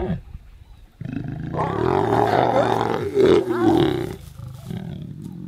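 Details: Lions mating in Ruaha National Park, Tanzania, close up; a loud, rough growling roar swells after a short pause, holds for about three seconds, then fades into lower grumbling.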